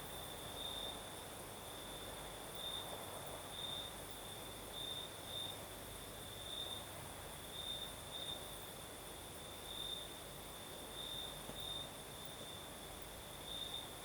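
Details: Singing crickets on a breezy southern Crimean night, their high continuous trill flaring in brief brighter bursts about once a second, a thin higher tone above, and gentle gusts of wind underneath.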